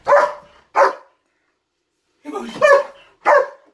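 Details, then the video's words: German Shepherd freaking out over something in the closet, indoors: loud, harsh barks, two quick ones, a pause of over a second, then a rougher double bark and one more, about four in all. "German Shepherd And The Monster In The Closet"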